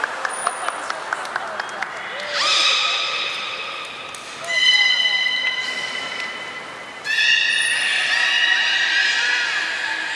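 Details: Training session for belugas at Port of Nagoya Public Aquarium, 11 July 2020: a row of quick clicks and a thin high tone open, then three separate bright, many-layered squeals arrive at spaced intervals.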